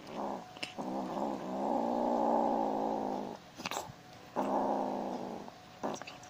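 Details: Rescued tabby kitten named Tiger, taken in from Manila Bay in 2017, guarding stolen fried chicken: a long, low, buzzing growl held for about two seconds, then further shorter growls, with faint handling noises.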